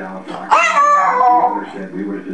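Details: Pet female Jack Russell terrier, barking at key words like walkies, goodies and go for a ride, indoors. One drawn-out, whiny bark slides downward for about a second. The owner talks before and after it.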